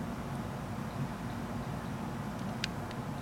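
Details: Continuous low rumbling noise like a passing vehicle, with one brief sharp click near the end.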